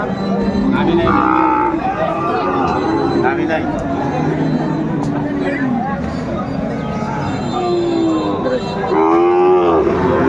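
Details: Sahiwal bull calves at a Dhaka cattle market on 9 January 2025, several low drawn-out moos overlapping amid busy crowd chatter and bargaining voices.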